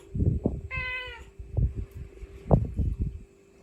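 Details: Mother cat calling her kittens, recorded on the spot: one clear harmonic meow, slightly falling, lasting about half a second, amid low thumping and handling noise.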